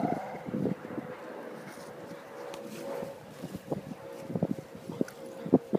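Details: Boston Terrier playing ball, giving a few short, low, punchy barks and soft whimpering sounds in scattered bursts, with a steady mid-pitched background hum throughout.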